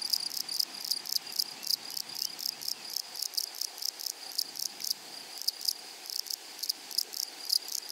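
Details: Meadow grasshoppers among flowers, loud close chirping in clustered raspy bursts of two or three pulses, repeated irregularly against a constant shrill insect background.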